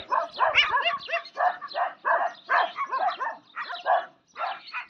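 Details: Desi dogs, the native street dogs of South Asia, fighting among themselves: a rapid tangle of harsh snarls, growls and yelping barks, overlapping in short bursts, some rising and falling, from several dogs at once.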